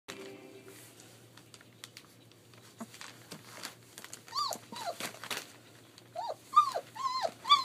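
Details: German Shepherd puppies at 21 days old, playing at a family kennel in Mayo, Florida; after scattered clicks and rustling, a run of high, arching whimpers and squeals comes in two bursts, the later ones louder and closer together.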